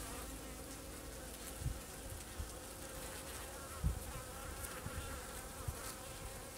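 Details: Carniolan honey bees covering a frame with sealed, capped brood near a dark Carniolan queen, during a winter hive inspection in Illinois on 4 March 2010 at 40 degrees. A soft, continuous buzz with occasional dull knocks from handling.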